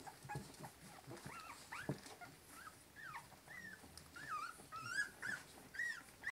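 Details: Three-week-old Cavalier King Charles Spaniel puppies in a litter give thin, high whimpers and squeaks that rise and fall.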